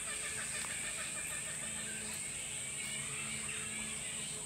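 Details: Bat colony of perhaps a thousand animals in a tropical park on the Sunshine Coast, Queensland, Australia: a dense, continuous squeaky chattering, with a steady high whine running throughout.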